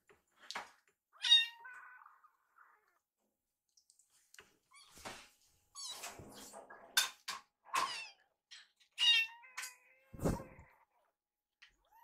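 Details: Two young rescued kittens follow their carer around the kitchen, begging while food is prepared. Their short, high meows come in quick succession, mixed with kitchen clatter, tapping and a dull thud.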